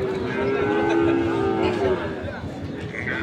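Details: Sahiwal bull calves being fattened, at Ambari cattle market in Parbatipur, Dinajpur, Bangladesh: a long, steady, low moo with a flat tone for about two seconds, over busy market noise and faint voices.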